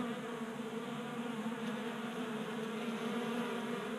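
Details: Honey bees feeding at a table-top 3D printed feeder in a Colorado garage during a warm January spell; a steady, dense buzzing drone of many wings with layered hum bands, continuous throughout.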